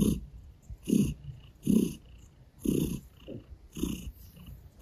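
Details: A gray Russian Blue cat purrs as it licks a person's hand and kneads their stomach, the low rumble pulsing in steady breaths near once per second, with light licking ticks.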